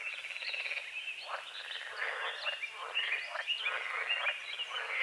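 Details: Frogs croaking at dawn over a small lake on a forest edge, morning fog over the water; a dense chorus of overlapping rasping pulsed croaks, with faint bird chirps mixed in.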